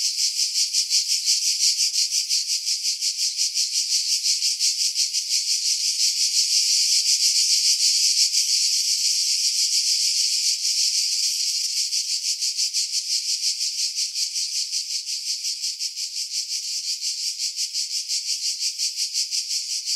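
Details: Long stretch of cicada song in pine woods 50 m above the sea at Pefkos Bay, Skiros Island, Greece, July 2018; a loud, unbroken high buzz beating in quick regular pulses, slightly swelling midway.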